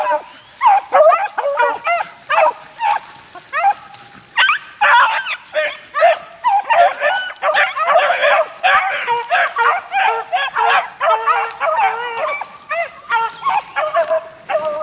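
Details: Young Beagle pups, about four months old, working outdoors in the wild in 2013: a busy chorus of high, yelping bays and barks from several dogs, overlapping and repeated in rapid bursts with little pause.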